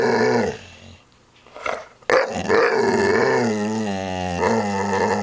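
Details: Pet dog growling and staring after a burp and a head shake; low rumbling growl with a steady droning tone through most of the recording, a brief quiet gap, then a sharp onset and sustained loud growling to the end.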